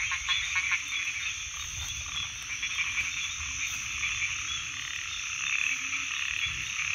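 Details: Frogs calling in a dense, unbroken chorus of high, shrill trilling that never pauses, layered with faint low hum underneath.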